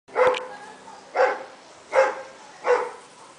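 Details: Doberman from a group of dobermans giving four loud, deep single barks at roughly even intervals of under a second.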